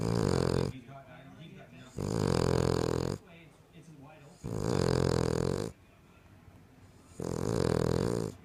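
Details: A female King Charles Spaniel, louder than any person her owner has met, snores in steady waves, each a buzzy, rattling rumble over a second long, with quieter breathing in the gaps, roughly every two to two and a half seconds.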